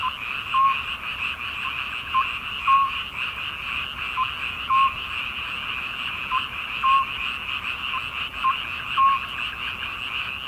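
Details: Frogs heard on a midsummer night: a constant rasping chorus, with short piping calls standing out in an uneven rhythm, often paired, about every second or two.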